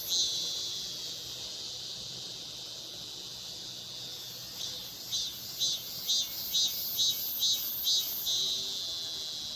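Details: Meimuna mongolica cicadas, two seen on a maple tree in Seocho Culture and Arts Park: a steady high hissing drone, then from midway loud rhythmic pulses repeating about twice per second over the continuing buzz.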